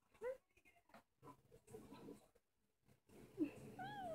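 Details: A Norwegian Forest Cat dreaming, perhaps of a fly, gives soft, short meows in its sleep: a brief rising-falling chirp at the start, then two more quiet whining meows near the end, with rustling between.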